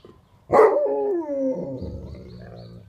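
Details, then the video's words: Alaskan Malamute giving a siren-like sing-song howl that echoes through the neighbourhood; a loud, rich note starts abruptly, then glides steadily downward and trails off into a lower, wavering drone. "Alaskan Malamute, Marrok, siren sing song"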